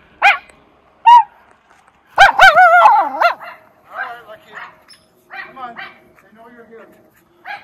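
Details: Miniature Schnauzers at play in deep snow tunnel trails, Maine, January 2023; a few loud, ringing barks stand out early, followed by softer yips and a person talking in the background.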